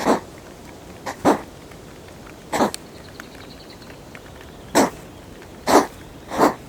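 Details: Hedgehogs fighting over territory at night, caught on a GoPro close to the animals. Sharp, noisy huffs and snorts come in scattered bursts, a few in each second or two.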